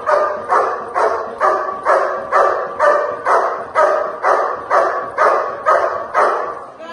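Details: Dog in protection training barking in a steady, evenly spaced rhythm, roughly two sharp, rough barks each second, every bark closely matched in strength throughout.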